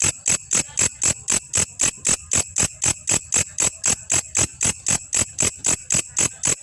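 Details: Grasshopper (belalang kecek), a recording used to train songbirds: sharp high-pitched rasping pulses repeated steadily about four times a second, some twenty-seven in a row, with no other sounds.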